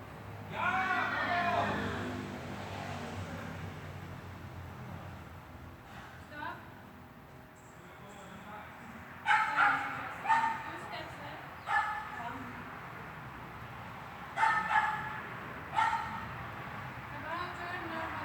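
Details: Dog training indoors in a hall, recorded 13 August 2021: early murmuring and room noise, then from mid-recording clusters of sharp barks, two or three at a time, ringing through the hall.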